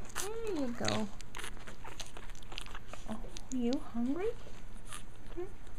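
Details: Japanese Chin puppies from a litter, indoors: high whining squeals that rise and fall in arcs, a few spaced cries with a person talking softly nearby.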